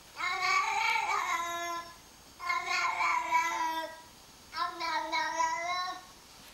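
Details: Pet cat, roused from sleep and spooked by another cat's voice on a screen, reacting as if an intruder were invading her space: three long, drawn-out wavering meows, each about one and a half seconds, separated by short pauses.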